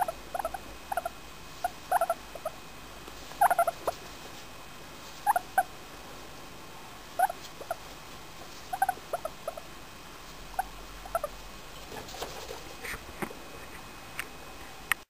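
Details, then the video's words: Four-year-old female English Crested guinea pig, happy and enjoying being petted, giving soft, short squeaky chirps and chuckles in irregular little clusters, a few close together then pauses, with faint clicks and handling rustle. "english crest making happy noises"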